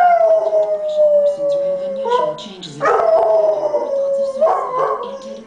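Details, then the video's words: Pet dog singing along to a television antidepressant commercial, howling in two long, steady, slightly falling tones with short yips between, over the commercial's narration and music. "Dog sings along to Cymbalta commercial"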